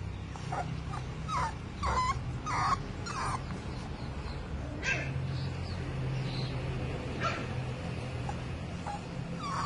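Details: Zeus, a male American brindle Boxer puppy, facing his first challenge of going down the stairs: short high whimpers and yips in scattered bursts, densest in the first three seconds, over a steady low household hum.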